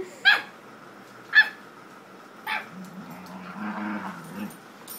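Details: Two pet dogs playing together indoors; three short, sharp yips or barks come about a second apart, followed by a softer, lower rumbling stretch with faint murmuring in the background.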